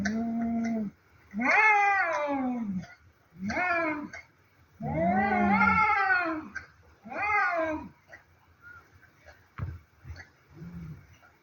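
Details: Two cats fighting: loud, drawn-out wailing yowls with wavering pitch, each lasting one to two seconds, rising and falling in long, tense cries separated by short pauses, then quieter low growling sounds toward the end.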